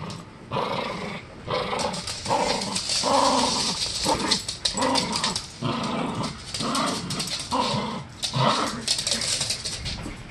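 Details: Male Norfolk Terrier growling during a game of tug of war indoors, loud continuous rumbling growls in pulsed bursts roughly every second, with scuffling and rattling noises from the play.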